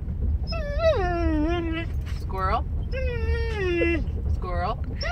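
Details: Pet dog making a noise when she sees squirrels: long whining, yodel-like tones falling in pitch, two drawn-out calls about two seconds apart with short yips between, over steady low background hum.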